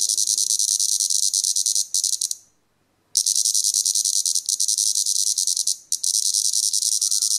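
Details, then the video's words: Plebeian cicada (Lyristes plebeja), Europe's largest cicada, deliberately disturbed while feeding on sap, showing displeasure: loud, harsh, high buzzing in long sustained bursts with brief pauses, one near-silent gap of about a second. "Repas ( «musical» ! ) de la cigale plébéienne (Lyristes plebeja = plebeius)"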